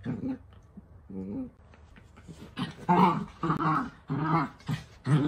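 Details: Playful miniature dachshund grumbling in short voiced bursts, low harmonic growls and whines, stopping and starting unevenly, indoors with some background noise.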